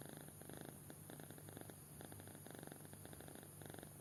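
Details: A deeply sleeping kitten gives gentle snores, clusters of rapid throaty pulses separated by brief pauses, quiet and regular, against a faint background hum.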